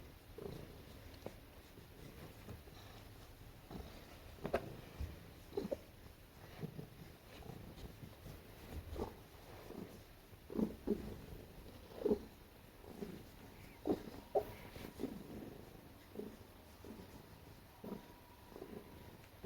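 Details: Pet cat snuggling while being petted indoors, a continuous low purr with scattered soft squeaks and brief chirps, irregular and quiet, some rustling of handling.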